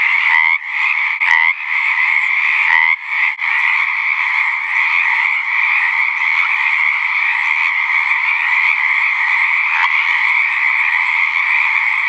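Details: Pacific tree frogs at a pond on a southwestern Oregon ranch, calling to mate in spring; a dense, intense mass of overlapping croaks and trills, a few sharp nearby calls early, then an even, unbroken chorus.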